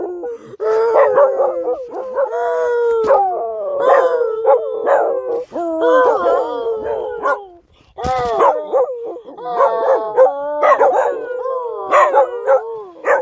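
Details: Jindo dogs and a mixed-breed dog howl along with their owner in long, wavering, sliding tones that rise and fall in overlapping voices.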